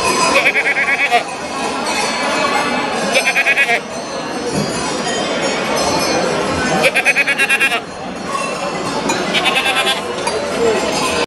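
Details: Appenzell goats, a Swiss breed, at the 13th National Goat Show in Markthalle Wattwil, Switzerland, on 24 March 2018. They seem impatient to be milked. Loud, buzzy, nasal bleats come in four bursts over the steady chatter and noise of a busy hall.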